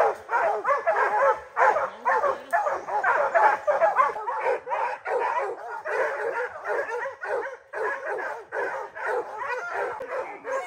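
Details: Hounds on the black bear training season opener, July 2024, with young dog Rocky among them; a steady run of overlapping barks, about two per second, with varying loudness throughout.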